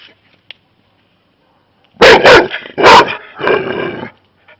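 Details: Labrador Retriever barking at a visiting hedgehog despite the owner's commands to stop. After near silence, a quick double bark and another sharp bark are followed by a drawn-out lower growling sound.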